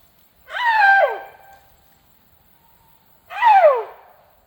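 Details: Loud food-begging cries from Sido Ham, a tuskless male Asian elephant: two harmonic-rich squeals falling sharply in pitch, about three seconds apart, with a thin steady tone trailing after the first.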